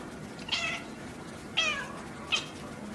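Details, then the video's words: Female house cat at play, said to bark and growl like a dog, caught on an iPod; three short, sharp, bright calls about a second apart over quiet room noise. "CAT BARKS AND GROWLS LIKE A DOG"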